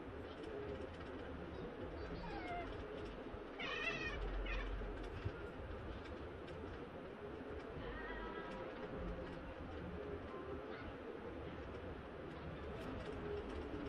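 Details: During a playfight between a Burmese cross cat and a three-month-old seal point Himalayan cross kitten, one strained, wavering meow stands out midway, with fainter short mews before and after against low indoor background noise.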